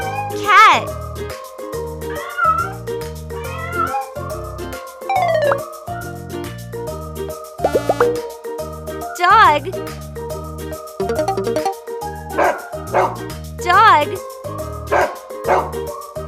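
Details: Domestic cat in real footage for children learning animal names, giving several drawn-out mews that rise then fall, spaced through the passage, over steady cheerful background music with a voice naming the animal.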